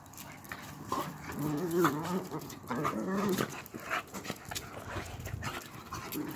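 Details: Old English Bulldog indoors in August 2018, calm and cuddly among small lively dogs: soft whining and whimpering with wavering tonal notes in several bursts, mixed with people talking in the background.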